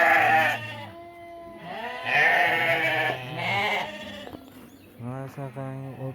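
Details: Sheep at an Uzbek livestock market, a flock of about 700 ewes and rams from a Namangan region village, giving overlapping quavering bleats, some long and tremulous, others short and rising, with background chatter from people.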